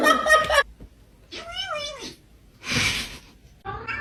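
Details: A pet cat gives a single arching meow that rises and then falls. A person talks before and after it, and there is a short burst of rustling noise.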